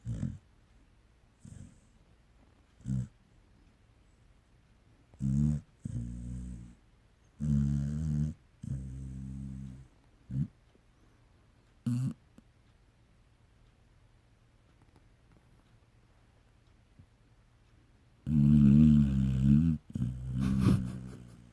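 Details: Snoring Pungsan dog called Pungsani: short, deep, groaning snore bursts with a throaty, growl-like tone, separated by silences, ending in a longer, louder rumbling run.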